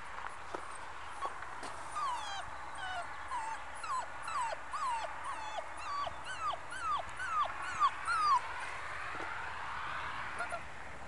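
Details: Five-week-old Muscle Mastiff pup named Batista, a future breeding prospect from Ms. America and Ivan The Terrible, giving a run of short, high whines that bend up and down, roughly two per second, over a soft hiss.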